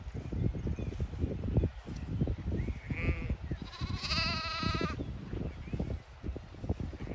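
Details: Late afternoon on a County Kilkenny farm in Ireland, where a Zwartbles flock heads to windcharger field to graze; a single clear, wavering bleat of about one second rises midway above steady trampling and low rumble, with a brief bird chirp before it.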